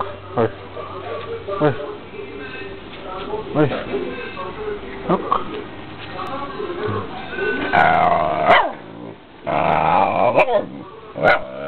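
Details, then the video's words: Pet female dog, playful, trained to bark whenever her owner raises a hand and makes a fist. Several loud, harsh barks burst out near the end, separated by about a second, while people talk throughout. "Barking Dog as commanded."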